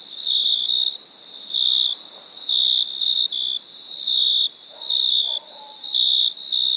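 Crickets chirping in high, shrill, pulsing trills that come in bursts separated by brief pauses.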